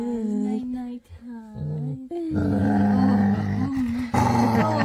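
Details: Female Labrador retriever indoors giving a happy growl before bedtime: long, moaning, steady tones, then a loud rumbling, drawn-out growl that carries to the end, with the owner softly saying good night.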